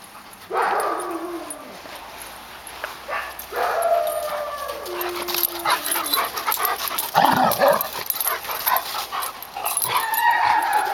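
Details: Labrador Retrievers at play: an eight-month-old Black Lab pup and a Yellow Lab that growls and pushes to decline his play. Several tonal whines and moans slide downward, separated by pauses, with scuffling noise in between.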